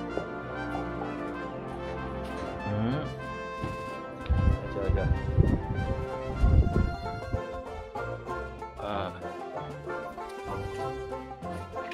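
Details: Upbeat brass music with trombone and trumpet plays loudly, a voice briefly overlaid, and no animal voices come through.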